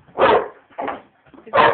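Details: Kassy, a 5½-month-old female American Bulldog puppy, barks at her teddy: three short, harsh, broadband barks, the first and last louder and fuller, the middle one softer, spaced about half a second apart.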